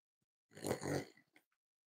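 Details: Cavalier King Charles Spaniel puppies snuggling indoors on a warm Friday morning, raised as emotional support animals; one quiet, rough snuffling snort of under a second with a throaty, breathy texture, then a faint click.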